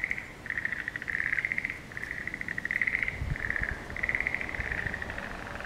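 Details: Frogs chorusing in the pond of Tanuki Lake Fureai Shizenjuku on the afternoon of 20 April 2017, 13:54. Overlapping rattling trills in mid pitch sound in near-continuous bursts of about one second, with faint low thumps beneath.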